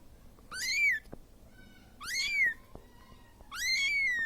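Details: Siamese kitten calling for its mother after being left alone: three loud rising-falling meows, each about half a second long, spaced roughly 1.5 seconds apart, in a quiet indoor setting.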